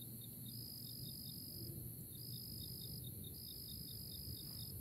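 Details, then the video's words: Early April cricket chorus: a steady high, shrill trill that breaks off briefly and resumes, over a row of quick, evenly spaced lower chirps and a low rumble of background noise. "Nature Choruses: Early April Crickets"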